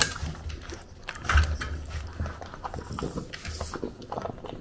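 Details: In Japan a French bulldog munches its breakfast, recorded with a DJI Pocket 2: sharp crunchy bites, one loud crunch near the start, then quieter wet chewing and jaw clicks.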